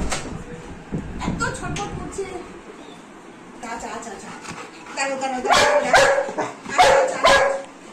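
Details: Golden Retriever named Anna, excited and restless after not seeing her mother all day, being caressed indoors; high whining yelps and short barks rise in loud bursts toward the end, mixed with a woman talking and soothing her.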